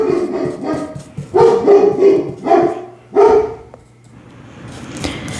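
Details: German Shepherd dog barking inside a house, reacting to someone approaching, likely a delivery; loud, deep barks in quick bursts of four or five, a pause, then another bark and fading quiet room sound.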